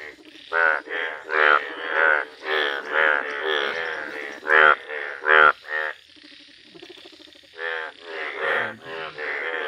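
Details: Yellow Indian bullfrog calling in a village: loud, rasping, pulsed croaks come in separate bursts about a second apart, each a coarse nasal bleat, with fainter frogs croaking in the background.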